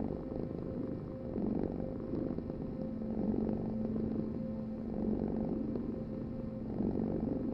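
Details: Domestic cat purring: a steady low rumbling vibration that swells and fades with each breath, about every two seconds, four slow pulses with no other sounds.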